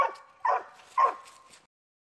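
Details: Treeing Walker Coonhound pups in training barking, three short baying barks with a drawn-out tonal tail, spaced about half a second apart, then silence.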